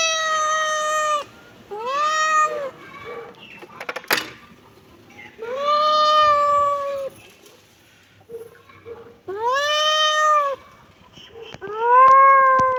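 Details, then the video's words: Kitten meowing: four long, clear, harmonic meows about two seconds apart, each arching up then down, with quiet clicks and a sharp tap between calls. "kitten meowing"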